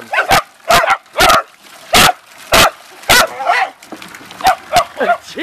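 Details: Pet Beagles and Dachshunds, a mother with her young Rocko, Gizzmo and Sissy plus father Zeenie, a red Dachshund, having fun in water: loud, repeated barks, roughly two per second, fading into softer yips, with brief human speech.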